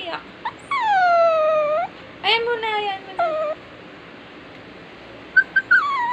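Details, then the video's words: A crying dog gives long whining whimpers, each a drawn-out tone falling then levelling off, with a shorter whine after a pause, then quiet and a few brief high squeaks near the end. "Crying Dog"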